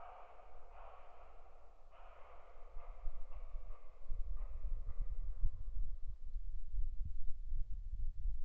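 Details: Fox calling at night, 21:39 on 10 February 2015, caught by a deer camera: a run of harsh, hoarse barking yelps about every half second that fade after five seconds, while low thudding footsteps and rustling grow louder.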